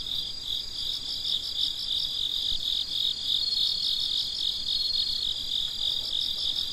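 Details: Crickets chirp at midnight in a steady, high-pitched pulsing chorus.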